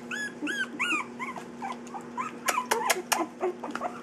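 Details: Playing puppies three weeks old: a run of arched, whining squeals opens the sequence, followed by softer yelps and growly whimpers, then sharp clicking taps and scuffles, all over a constant low hum indoors.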